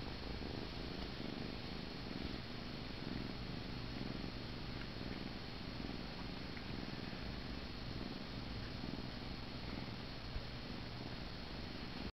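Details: Held in someone's arms, the kitten Paneer keeps up a soft, unbroken rumbling purr while falling asleep, the low vibration steady throughout, with only faint room background.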